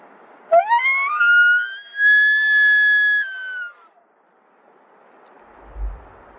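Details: A distant maral stag during the autumn rut in a Dzungarian Alatau gorge, answering a call whistle, bugles once: a clear whistled tone that climbs sharply, holds high about three seconds, then slides down and fades; quiet wind follows.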